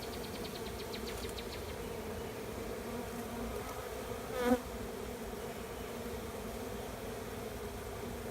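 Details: A swarm of honey bees settling into an empty hive beside a driveway makes a constant droning hum, one bee buzzing loudly past midway through, and a short burst of bird twittering at the start.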